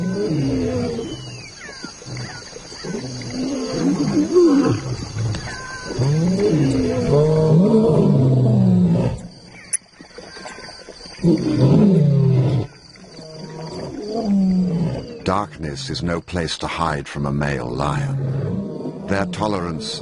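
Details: Lions roaring in another lion's territory, an insult to the resident male Simba as two new arrivals intrude; deep, throaty, overlapping roars in long bursts, broken by brief pauses, with rustling and scattered clicks in the background.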